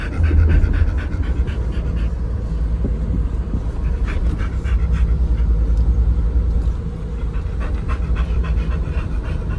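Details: Oliang and Nomyen, a pair of Pit Bulls, pant hard on their Chinese New Year 2020 outing to Dog Space Hotel, with rapid irregular breaths over a constant low rumble.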